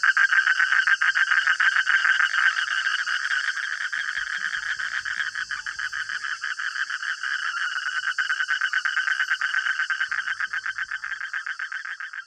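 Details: Crowded midnight frog chorus with relentless pulsed croaking, mid-pitched rattling notes running together and swelling and fading slightly, set against a constant high-pitched hiss.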